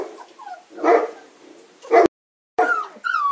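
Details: Young Kuvasz pups, 35 days old, whimper during selection: short rising and falling whines alternate with louder yelps, broken by a brief silent gap before more high, sliding whines.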